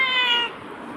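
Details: Black pet cat answering its owner, who calls it toward the fridge with a promise of prawns; one clear, bright, tonal meow lasting about half a second, then quiet room hiss.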